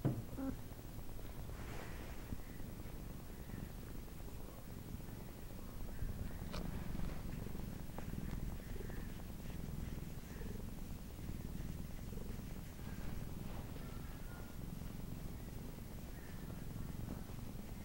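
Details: A male Siamese cat purrs steadily, a low continuous rumble with a soft, even pulse.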